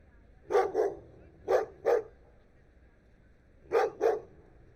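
A dog barks in quick pairs of short, sharp woofs, with pauses between each pair.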